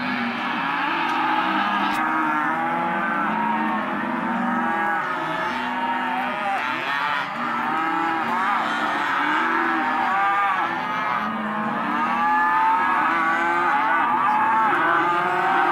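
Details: Sale lot 9 of Hereford and Careta calves, male and female: a sustained, crowded chorus of overlapping moos, short and long bellows layered without pause throughout, staying steadily loud from start to end.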